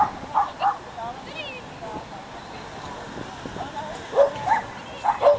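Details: Schipperke barking at an unofficial agility event in Měchenice on 27 November 2016; pairs of clipped, bright barks open and close the moment, with a person talking in between and general background chatter.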